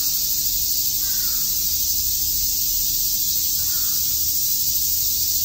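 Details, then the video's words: Cicadas at Shakujii Park in Tokyo on a summer day, a loud, even, high-pitched buzz filling the air, with two faint caws about two and a half seconds apart. "Cicada chirps"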